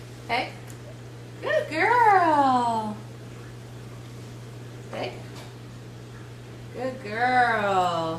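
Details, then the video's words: Escher, a 12-week-old female Miniature Schnauzer puppy, vocalizes indoors on the "speak" command during trick training: drawn-out, whiny, falling yelps, two long ones several seconds apart, between short sharp sounds, while a woman praises her as a good girl. "Escher Adds Stand, Speak, and Beg to her Bag of Tricks"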